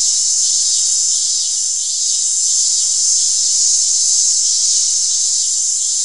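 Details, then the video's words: Steady, piercing cicada drone, an unbroken high hiss-like buzz with gentle wavering in loudness throughout. "Tiếng ve sầu kêu || The sound and picture of the Cicada"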